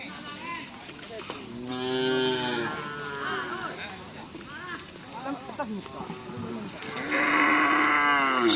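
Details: Bulls during karapan sapi racing practice at Asemanis field in Pamekasan, overlapping drawn-out moos rising and falling in pitch, a long loud bellow closing the recording, with voices and clatter behind.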